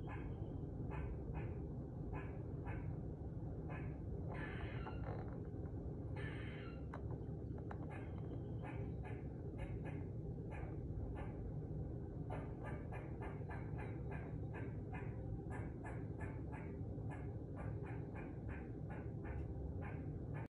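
A squirrel gives a long run of sharp, rapid chattering barks over a low rumble.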